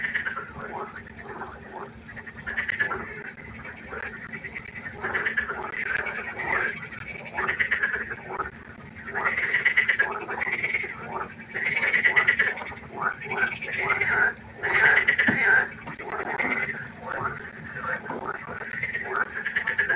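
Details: Frog concert by a pond at night: many frogs give regular bursts of grating, pulsed croaks roughly every second, building in loudness midway, over a faint steady hum.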